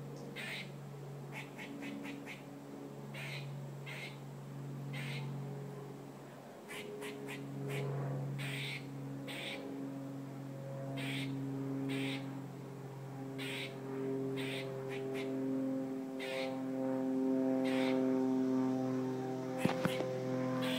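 A squirrel gives rapid, quacking chatter notes, several per second, over a steady mechanical hum.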